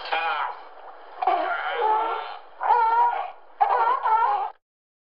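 A sea lion gives four drawn-out, hoarse, honking barks about a second apart, some wavering in pitch, then falls silent.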